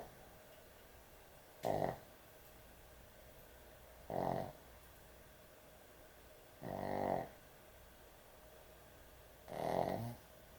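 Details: A sleeping pet dog snores heavily indoors at bedtime: four loud, rasping, drawn-out snores, each lasting about half a second to a second and coming roughly every two and a half seconds, with quiet room tone between them.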